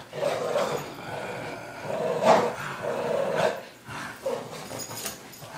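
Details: A Boston Terrier growls in rough, rumbling bursts with brief louder snarls while playing tug-of-war on his rope and refusing to let go.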